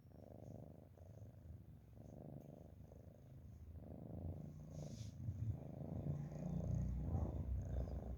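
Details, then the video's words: Sleeping domestic cat snoring: a soft, low rumbling drone in steady breath-paced swells roughly once a second, gradually growing louder toward the end, with a faint brief hiss midway and a quiet indoor background. "Nice Cat Snoring"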